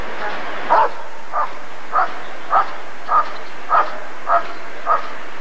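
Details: Barking Rottweiler recorded at the 1994 ADRK Körung breed survey: eight clipped, evenly spaced barks roughly every 0.6 seconds, set against constant background noise.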